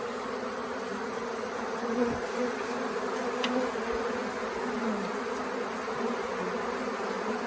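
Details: Honey bee swarm at the Tamarind Tree Hotel, late in the year, after days on the property and while being caught into a nuc box: a steady, dense, low droning hum that holds level throughout with no other sounds.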